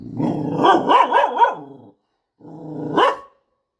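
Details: Pet dog that barks at the leafy-greens vendor every day: a run of quick, wavering, whiny barks for about two seconds, then one more rising bark after a short gap.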